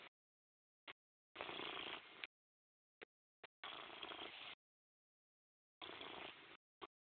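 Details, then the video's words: Morris the cat purrs in three longer raspy bursts, each near a second, broken by brief clicks and stretches of silence. "PURR BY MORRIS"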